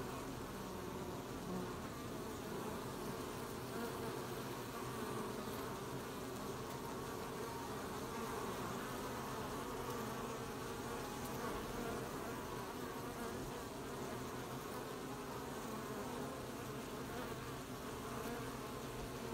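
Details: Many honey bees working a hive at an apiary on 20 July 2020, gathering honey: an unbroken, even buzzing hum that stays steady throughout, with no other distinct sounds.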